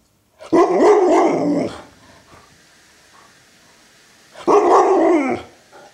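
An Alaskan Malamute gives two drawn-out, warbling "woo" vocalizations, each over a second long.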